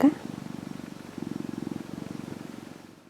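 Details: Domestic cat purring beside another cat that is kneading and suckling a finger indoors; a steady low rumbling purr with fast regular pulses, swelling slightly in the middle and fading toward the end, after a brief faint sound at the start.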